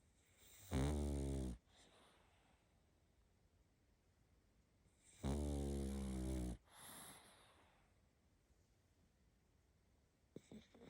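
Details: Sleeping pug puppy, a little female, snoring indoors: two long, loud, rasping snores about four seconds apart, each lasting over a second, with quiet breathing between and a faint soft click near the end.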